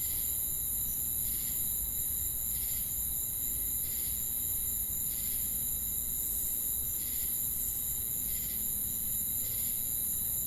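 A cricket gives short, buzzy chirps about every second over a steady high insect drone.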